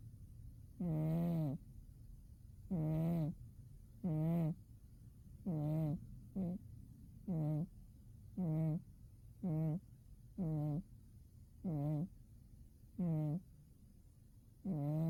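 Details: Umi the cat snoring while asleep in winter: a long run of about thirteen short, low, buzzy snores, some very brief, coming at slightly uneven intervals of roughly a second.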